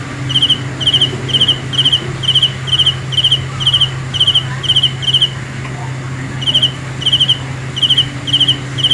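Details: Steady high chirping of a cricket, the Hmong kab ciliv, in brief pulsed bursts about two per second, pausing for roughly a second before resuming, with a low steady hum underneath.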